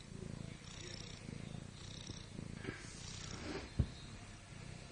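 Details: Sleeping pet cat lying on her back, snoring: low, rough breathy pulses repeating roughly once a second, uneven in strength, with one sharp click partway through.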